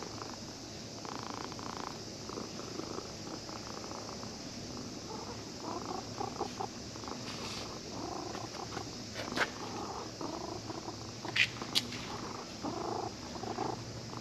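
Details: Stroked by a child who had come fishing, a cat found sleeping at a fishing port purrs contentedly: rhythmic rumbling pulses repeating steadily throughout, with occasional sharp clicks and faint background noise.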